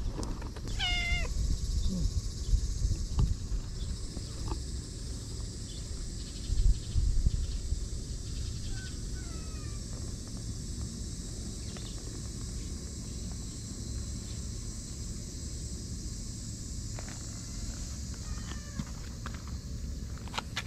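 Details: Stray cats in Japan at a fishing port in the evening, friendly and rubbing up for affection. A rising, strongly harmonic meow comes near the start, with shorter meows around eight and eighteen seconds over a steady low outdoor hum and brief human voice.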